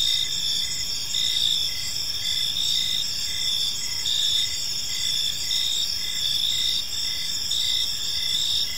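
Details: Evening crickets in a park give a constant piercing trill and evenly spaced chirps about twice a second, with faint low-frequency background noise.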